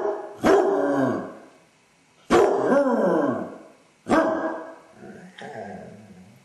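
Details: Basset Hound with separation anxiety, alone at home, howling and whining; three drawn-out falling howls about two seconds apart, ending in a softer, broken whine.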